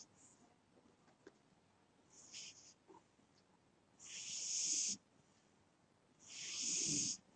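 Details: Sleeping pet cat snoring: two long, airy, whistling breaths, each lasting close to a second, roughly two seconds apart, preceded by fainter, shorter wheezy breaths in a quiet room.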